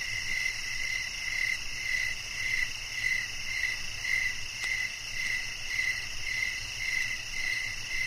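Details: Crickets chirping at night: short, clipped chirps repeated roughly twice a second at a steady pace, over constant high-pitched insect buzzing and a faint low hum.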